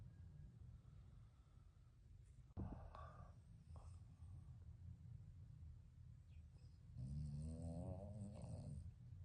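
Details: Three snoring puppies, toy poodle and bichon frise, asleep indoors: quiet low breathing with a click, then a louder wavering, whistled snore near the end.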